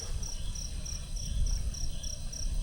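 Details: Night chorus of crickets at HD Mountainville campsite in Tuba, Benguet, Philippines, with sharp, evenly spaced high chirps roughly three to four per second riding above heavy low traffic rumble from Marcos Highway below.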